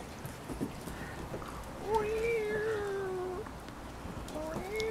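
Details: Cavalier King Charles Spaniel puppies, six weeks old, playing on a deck beside mama Diva, five pups in all; a drawn-out steady whine lasting over a second, then a shorter second whine, with a woman talking softly nearby.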